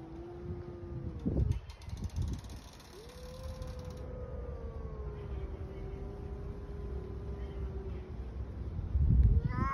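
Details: Hungry street cats in a fight: a short low moan, then a long drawn-out yowl holding a steady, slightly falling pitch for about five seconds. Rumbling background noise and a brief mechanical rattle are also heard.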